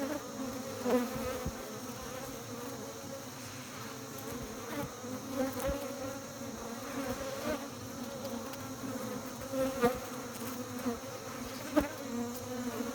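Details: Bees at a beekeeping hive producing a dense low buzzing drone with a rich overtone, steady throughout, with scattered soft taps and clicks over the hum.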